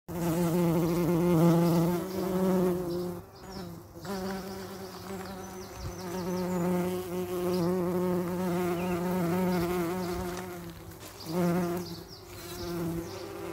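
Bees give a steady, low droning buzz whose pitch wavers slightly as they move around.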